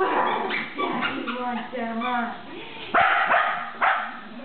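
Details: Shetland Sheepdog playing tug, giving two sharp, loud barks near the end after a stretch of a person talking over softer dog noises.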